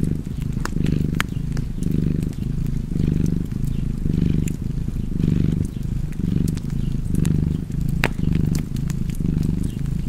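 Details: Low, rumbling cat purr pulsing with each inhale and exhale about once a second, accompanied by frequent crackling snaps from a fire.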